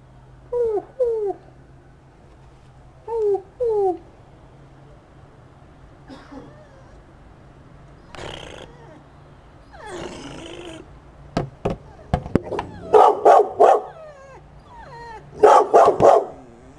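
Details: Corgi whining indoors, upset at an owl decoy in a window, with a boxer also present: short, high, wavering whines in paired bursts early on, then a series of sharp barks and yelps building toward the end.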